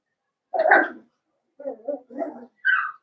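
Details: Blenheim Cavalier King Charles Spaniel puppies from a litter of five born at New Year in an indoor home puppy pen. One rough bark, then three short, lower yips in quick succession, ending in a higher, whining yelp.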